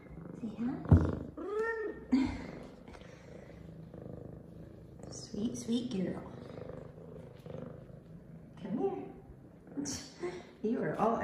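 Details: F2 Savannah cat, a female, happy and excited after her morning shower, giving short rising meows with a low purring rumble beneath, while a woman talks to her warmly throughout.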